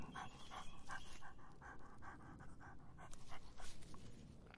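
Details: A dog drinking to quench its thirst in hot summer, with quick wet lapping bursts repeating about three times a second in a steady rhythm, and a soft low rumble underneath.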